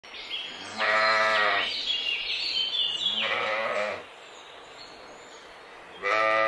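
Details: Mouflon, a wild sheep, in a mountain forest setting: drawn-out nasal bleats with a rich stack of harmonics, three calls spaced a couple of seconds apart, the last starting at the end, over a faint hiss and high chirping in the background.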